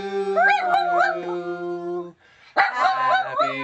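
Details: Pet Miniature Dachshund singing along to Happy Birthday, giving wobbling, rising and falling howls over a person's sustained low sung notes, a short quiet gap, then more quavering howls.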